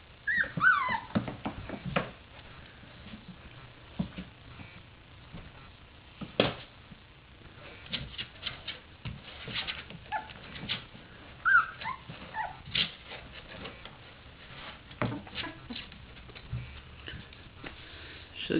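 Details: Three-week-old puppies from Sofia's third litter, newly staying awake to play, among them the agile black male Lucky; brief high whimpers and thin yips rise now and then over scuffling, thumps and soft patter indoors.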